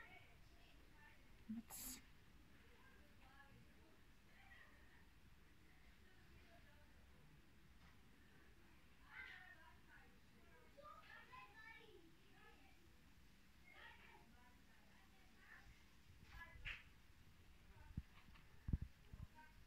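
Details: A mother cat and her kittens, found in Vratnik, Sarajevo, give scattered thin mews, brief and repeated in loose groups midway through, mixed with steady human speech and a few sharp clicks and handling noises.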